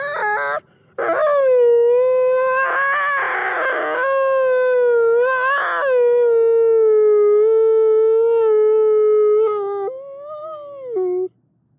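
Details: Wolf howling: a long, steady tonal howl with rich harmonics, briefly broken by a short rising note near the start, rough breaks around the third and fifth seconds, then a final shorter arched howl.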